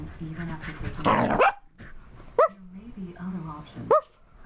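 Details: Dog after a bath giving two short, high, sharply rising yelps about a second and a half apart, over a person talking and a burst of rustling noise.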